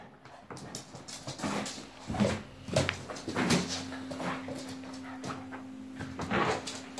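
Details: Cavalier King Charles Spaniel puppy indoors at home, playing with a balloon; soft, brief scattered yaps and whimpers with light thumps over a steady low hum, in a quiet room.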